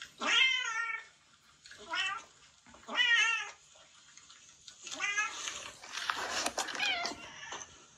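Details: Retired boss cat, former ruler of a residential area and now in end-of-life care indoors, giving strained, bird-like shrieks; three short harmonic yowls in quick succession, then a longer, rougher wavering cry blurred by broadband noise.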